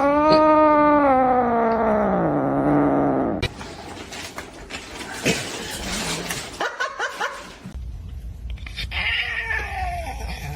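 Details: A kitten gives a long, drawn-out meow that slowly falls in pitch and fades after about three seconds. Rustling, scattered clicks and a few faint higher squeaks follow.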